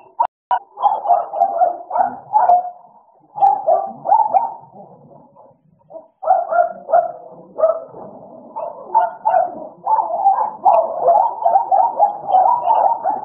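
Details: American Bully dogs Idol and Alice at play, giving rapid runs of short mid-pitched barks and yelps in bursts, with brief pauses between flurries and a steady, lively rhythm.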